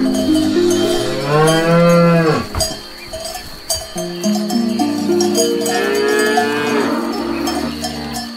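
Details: A cow grazing on grass gives two long, deep moos that swell and fade, with a cowbell ringing faintly.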